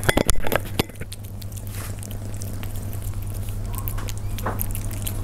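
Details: Persian cats eating, recorded up close: a burst of sharp, crisp chewing clicks fills the first second, then softer scattered bites over a steady low electrical hum.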